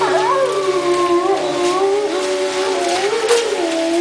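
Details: Several wolves howling together in a chorus, overlapping long sustained tones gliding slowly up and down at varied pitches, with a steady continuous sound throughout.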